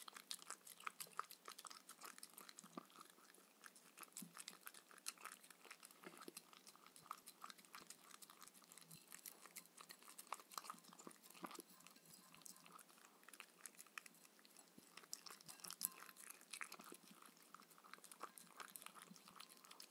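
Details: Steady crunching as Mindy the Shetland Sheepdog chews her raw kangaroo dinner with coconut oil indoors. Irregular crisp bites and crackles run without pause over a soft papery rustle. No voices are heard.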